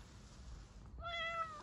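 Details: A Bengal cat meows after being let outside to lie in its sunny spot; one clear, tonal meow of about half a second, holding steady then dipping slightly at the end, follows a quiet stretch of faint room noise.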